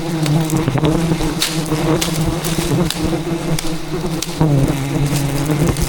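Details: Wild rainforest bees defending their colony as their hidden hive is harvested; thick unbroken droning buzz from many insects, steady in loudness, over faint cracks and rustles from the work.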